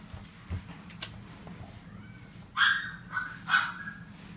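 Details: A male fawn pug, born 26 October 2018, gives three quick, high-pitched barks in a quiet room.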